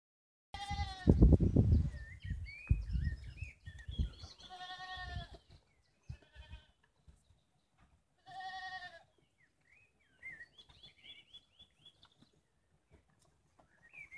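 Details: Several baby goats only a few days old playing outdoors in the Bosnian village of Podhum on a sunny spring day; loud wavering bleats in the opening seconds, then scattered shorter bleats with birds chirping in the background.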